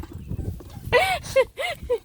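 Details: A beagle eating a puppy's breakfast snorts like a pig at the trough, giving four quick, harsh bursts with a voiced, grunting edge.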